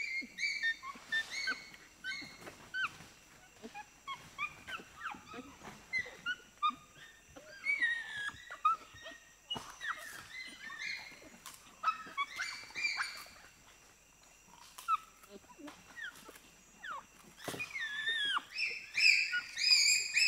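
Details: Group of four to six pygmy chimpanzees screaming and shrieking in reaction to presentation of sugar cane; dense overlapping high shrill shrieks and rising-falling squeals, irregular and excited, building to a louder burst near the end.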